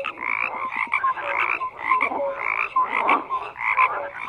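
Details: A crowded frog chorus: rough, buzzy croaks overlap with brief clear whistles, the racket swelling and easing in irregular waves about every half second.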